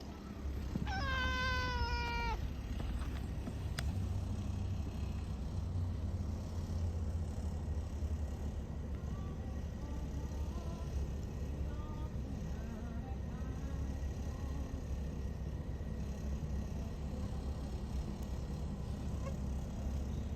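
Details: Orange tabby stray cat meowing at the start: a short series of rising, harmonic-rich meows in the first two seconds, then steady low rumbling background noise with faint high chirps.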